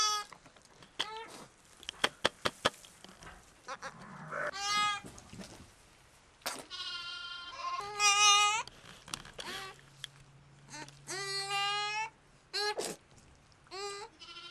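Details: Three newborn lambs, born live at Apple Pond Farm in Sullivan County, New York in October 2010, calling with quavering bleats that follow a run of quick clicks and taps, over a steady low hum.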